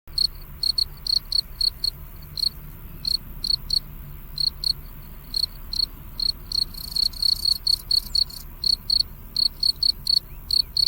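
A cricket gives steady, high-pitched chirps, each a quick trill of pulses, repeated several times a second.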